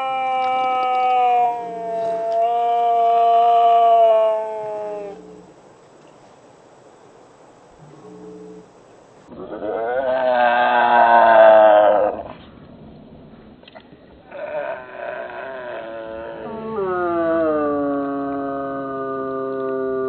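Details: Two stray cats, Shiratan and Kuro-chan, regular visitors to a home, in one of their nightly fights, filmed on a Nikon Coolpix S01. Long, drawn-out, wavering yowls, then a louder rising-and-falling wail midway, ending in another sustained, slowly descending moan.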